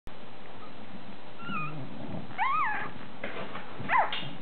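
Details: Two male Bulldog pups, hours old, nursing on their mother Molly after her c-section; one charcoal bluish, one chocolate. A few short high squeaks and whines, rising then falling, over a low steady hum indoors.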